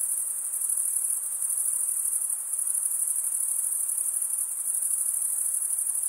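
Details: Crickets, males stridulating by rubbing one wing across the toothed vein of the other, give a steady, very high continuous trill that never pauses, with faint soft background hiss beneath.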